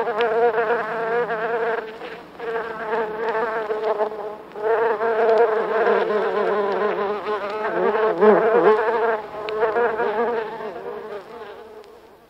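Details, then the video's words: Several buff-tailed bumblebees buzzing within a nest in the UK, close-up recording: steady overlapping droning hums with short dips and renewed surges around two and four seconds, wavering in pitch, fading gradually at the close. "CU Buzzing From Several Bumble Bees (Bombus Terrestris) In Nest"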